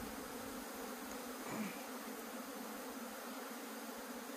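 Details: Honey bees from a broken-open hive in Puning, Guangdong, whose comb was overgrown by grass, hum steadily while clustering on a tree; one brief louder thud near the middle.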